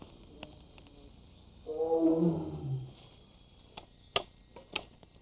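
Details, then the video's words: At night in the Indonesian jungle in 1995, a wild Sumatran tiger, another tiger somewhere out there and perhaps linked to the mating season, gives a single deep, rumbling roar that swells and then sinks away. "Tonight, a roar resounds through the jungle, putting everyone on notice. Another tiger's out there somewhere."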